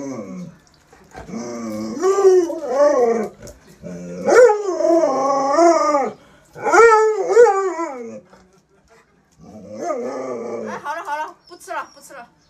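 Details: Pet Alaskan Malamute Luoluo howls in a string of arched, warbling phrases: long rise-and-fall calls, a held middle section, then quieter broken yips trailing off.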